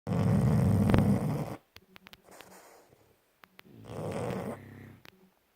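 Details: Bus and Kat, pet dogs asleep, snoring at home: a long, loud, rumbling low snore lasting about a second and a half, a few soft clicks and a quieter breath, then a second raspy snore around four seconds in.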